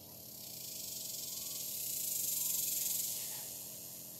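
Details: On a hot July day, active cicadas give a high, pulsing buzz that builds to a loud peak around two and a half seconds, then slowly fades.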